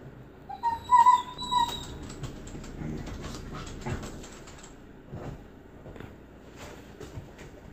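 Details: Standard Poodle kept alongside a husky, giving a high, thin whimpering whine in two short bursts during the first two seconds. Softer rustling and faint scuffing noises follow for the rest of the recording.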